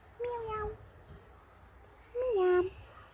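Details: Domestic cat, the mother of the kitten called Pilli Babu, in the evening: two drawn-out, falling meows, each about half a second long, separated by a quiet pause of about a second and a half, with faint low background noise.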